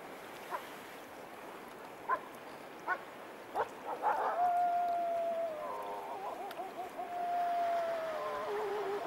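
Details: A wild wolf in the Canadian wilderness, thought not to be alone, gives long, steady, mid-pitched howls that hold level before dropping slightly, over rushing water.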